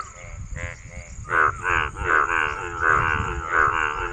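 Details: Croaking male frog: after a few fainter notes, loud rasping pulsed croaks follow in quick succession, each lasting about a third of a second, with low background rumble.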